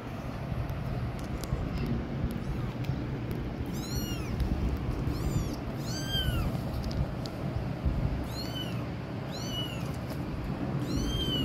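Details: Kitten crying loudly near adult cats: high, arched meows that rise then fall, given in spaced bursts every one to two seconds over a steady low rumble of background noise.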